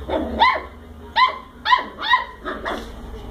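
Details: A young cocker spaniel puppy barks at a ball, giving five short, high-pitched yaps with sharp rising starts, roughly every half second to second, with little else in the background.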